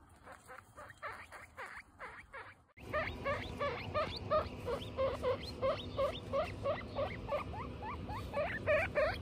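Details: Guinea pigs of a pet family (Butter and her young Lion, Tofu and Mochi): faint upward-sweeping squeaks at first, then a sudden loud, steady train of shrill rising whistles, roughly three each second.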